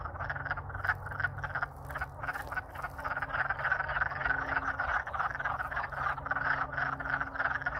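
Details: Wood frogs (Lithobates sylvaticus) in Alaska, a loud spring chorus after thawing from being frozen solid in winter, courting: dense overlapping short duck-like clucks in a steady rattling din.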